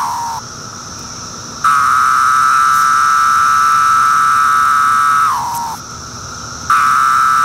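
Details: Periodical cicada, Magicicada septendecim, Brood II in 2013, calling from bark: a long steady loud buzz holds for over three seconds, then sags downward in pitch and fades before the next buzz begins.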